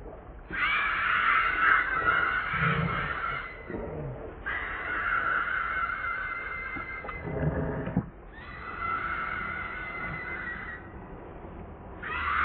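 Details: Hungry baby monkey Leo begging its mother for milk with long, strained screaming cries, each held around three seconds and steady in pitch, broken by brief pauses and a few faint rustling sounds.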